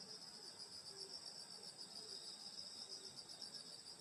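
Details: Summer-night countryside insects near a grandmother's house: continuous high, silvery trilling from many insects layered into an unbroken buzz, with a few faint low notes underneath.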